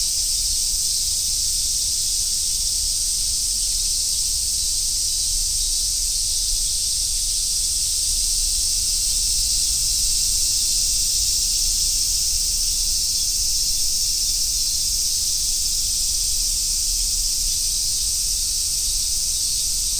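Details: Summer forest road in Japan filled with cicadas, among them large brown and Minmin cicadas. Their shrill, continuous buzzing chorus stays even and unvarying from start to end over a soft low background hum.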